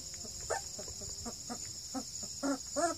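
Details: Redbone Coonhound pups aged 2.5 weeks, one male and four females, near Kingston, Canada: a quick run of short squeaky yips and little grunting barks, several per second, with a steady electrical-sounding hum behind.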